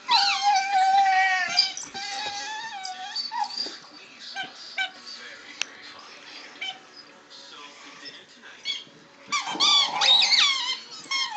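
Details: Chewie, a male dog, making odd noises while playing with his toys indoors: high whining squeals and yelps rise and fall in wavering tones, with scattered squeaks and clicks in between and a loud squealing burst near the end.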